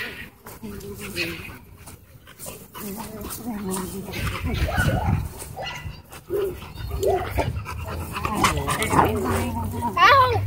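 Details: A Miniature Pinscher warning when harassed: low, throaty voiced sounds in uneven bursts, a brief rising whine near the end, with human speech running throughout.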